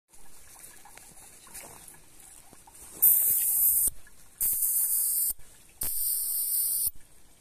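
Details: A bat that fell into a barrel of water gives three harsh, high-pitched buzzing bursts, each about a second long, in aggression.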